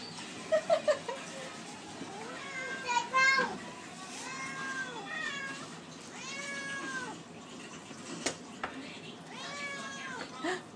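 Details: Two hungry domestic cats meowing for food: a run of drawn-out, arched meows rising then falling, some overlapping, with a person's voice talking to them in between.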